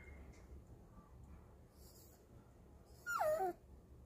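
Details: Four-month-old female Pomeranian puppy, taught to howl by her mother, gives one short, wavering howl that slides downward, lasting under half a second, after quiet background and faint rustling.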